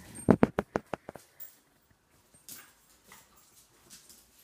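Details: A six-month-old Dachshund and a four-year-old German Shorthaired Pointer at play indoors: a quick run of six or seven sharp, loud yips in the first second, then quieter scuffling and soft noises.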